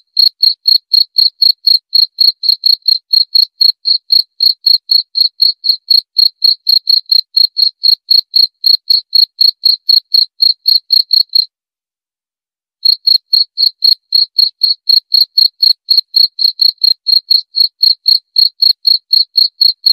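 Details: Rapid, regular chirps from a cricket, roughly four per second, high and thin, running continuously except for a brief pause of just over a second near the middle; a quiet, otherwise empty background.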